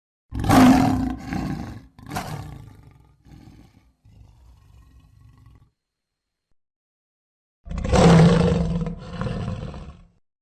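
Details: Lion roar: a deep, rough, booming roar followed by a second burst and a string of fading grunts, then silence and another powerful low roar.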